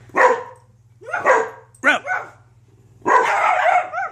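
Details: Several pet dogs bark in four loud, hoarse bursts, the first two separate and the last a longer run of rapid overlapping barks, over a low steady hum.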